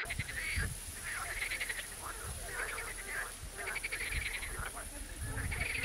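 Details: Frogs croaking, sometimes in chorus and sometimes singly: bursts of rattling, pulsed croaks overlapping in waves about every one to two seconds, with a steady high whine throughout.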